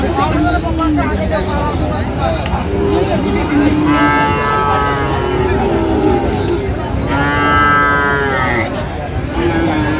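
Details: Friesian and crossbred bull calves at the Raniganj cattle market in Dinajpur on 25 January 2026, during buying and selling. Two long, drawn-out harmonic moos, the second rising and then falling, sound over constant crowd chatter and bargaining voices.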